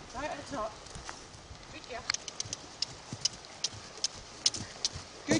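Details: Arradoul Aria, a four-year-old Clydesdale mare, ridden under saddle in the school 22 days after first taking bridle and saddle. Sharp, evenly spaced hoof clip-clops repeat about twice a second, following a brief spoken word of praise at the start.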